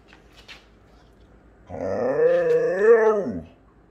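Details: Siberian Husky, a household pet, letting out a short moaning howl of under two seconds after near silence, rising then wavering and falling off, with a faint low hum in the room.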